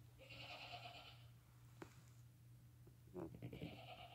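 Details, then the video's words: Lambs born the same day, under five hours old, crying while nursing with their mother; a drawn-out quavering bleat opens, a brief click follows, then another nasal bleat begins near the end over a low hum. "Newborn lambs walking, crying, and nursing with mother"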